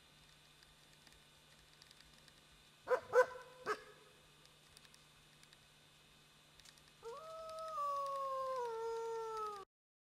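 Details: A friendly wolf trading howls with a person. A few short sharp yips and whimpers come first, then after a pause a sustained steady howl that slowly drifts lower in pitch for nearly three seconds before cutting off.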